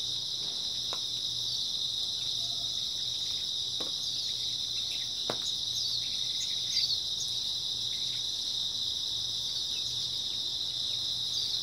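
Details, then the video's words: Early autumn night chorus of grass insects: a thick, continuous high trill from many individuals, with scattered soft ticks and one sharp tap near five seconds over a faint low hum. "초가을 밤부터 새벽까지 백색소음 풀벌레 소리"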